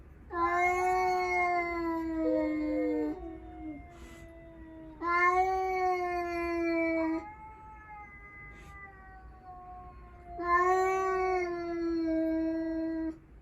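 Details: Cat in a standoff after a stray appears while five rescued house cats sunbathe; three long, drawn-out yowls of steady pitch, each lasting two to three seconds and returning about every five seconds, with quiet gaps between.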